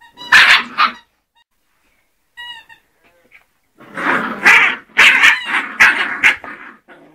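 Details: Scottish Terrier puppies, two months old, giving a pair of shrill yaps, a short high whine, then a dense burst of rapid overlapping yelps and barks.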